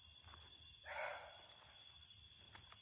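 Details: A barking deer in Lawachara forest, Sreemangal, Bangladesh, heard but not seen, gives one short, harsh, dog-like bark over steady high insect drone.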